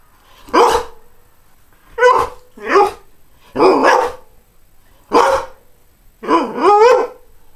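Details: Greyhound producing six rough, raspy barks, some doubled or warbling, over a faint steady background hiss.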